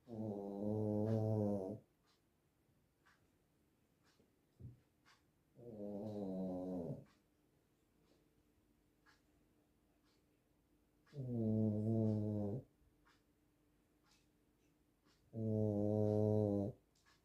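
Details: Small dog asleep, snoring like a grown man: four drawn-out, deep, harmonic snores of about one and a half seconds each, coming every four to five seconds, with quiet breathing between them.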